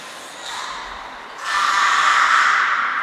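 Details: Belugas Gray, Nana and Mirai in training at Port of Nagoya Public Aquarium on 10 February 2024. A soft tonal murmur swells into a sustained, steady, harmonic squealing note lasting about a second and a half.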